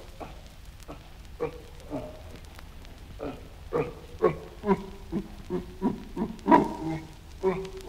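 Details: Series of short, clipped chimpanzee grunts, roughly one or two each second, spaced unevenly at first and then quickening into a louder, more regular run of huffing, voiced pulses.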